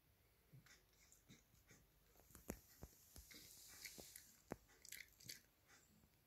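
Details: Male Cavalier King Charles Spaniel chewing a dog chew bone shaped like a Christmas candy cane: soft crunches and sharp irregular clicks and snaps of teeth on the chew, several close together, over quiet background hiss.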